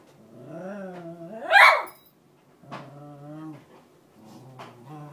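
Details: Female Cairn Terrier cries to get her bed back, indoors: wavering whines, a sudden loud yelp, then lower drawn-out moaning whimpers repeated in short bouts.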